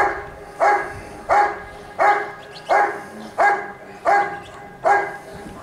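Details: Barking Giant Schnauzer named Rick vom Lindelbrunn during a 2022 IGP dog sport trial in Russia: eight forceful, repeated barks at an even pace of roughly one every 0.7 seconds, with light background noise.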